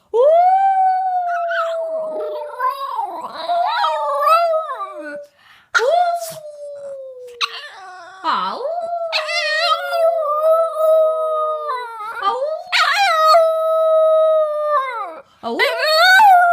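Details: Pet female Boston Terrier howling together with her owner, who makes funny sounds she imitates, a habit especially after waking in the morning; long sliding howls that fall in pitch, broken by gargly growls and short bursts of voice.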